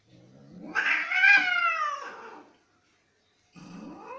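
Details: Cats in a fight give a loud, drawn-out angry yowl that climbs and then sinks over about two seconds; after a short silence, another wail begins.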